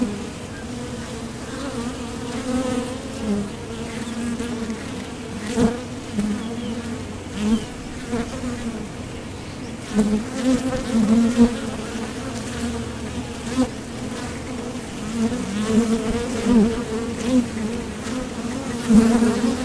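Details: Wing hum of honeybees at a Top Bar Hive entrance while they leave and return from gathering nectar; a sustained low buzz with frequent rising and fading swells from passing bees throughout.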